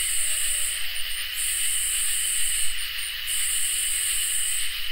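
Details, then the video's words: Summer night insect chorus of crickets and katydids: continuous high-pitched trilling drone with a sharper upper buzz that cuts out briefly a few times, leaving flickering gaps before resuming. "Crickets and Katydids in Summer | Ambient Night Chorus"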